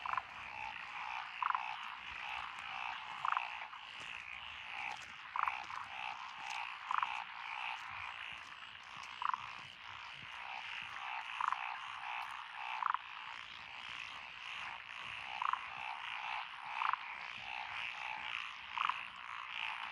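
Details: Tree frogs, Tokyo daruma-type pond frogs, wrinkled frogs, Schlegel's and forest green tree frogs chorus at a lotus paddy roadside in Echizen, Fukui, Japan, 12 June 2021: continuous grating rattling croaks, louder calls every two seconds, steady hum.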